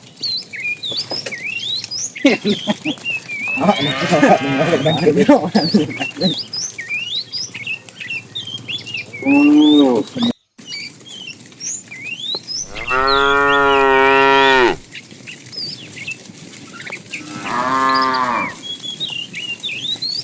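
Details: Tame cows roaming as a herd in the morning, searching for food; a rough, noisy low call early on, then a short moo and a long, steady, strongly harmonic moo, followed by another, amid continual bird chirps.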